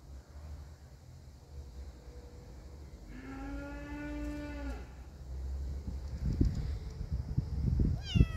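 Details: A kitten meets an unafraid cat: a long, low, steady yowl of about two seconds, faint high notes before it, then thumps and scuffling noises and a brief high rising squeak at the very end.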